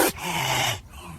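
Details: A caracal gives an angry hiss-growl, a harsh, breathy hiss over a low rumbling growl, under a second long, at a nearby person who backs away; the clip is described as a staged recreation with designed sound.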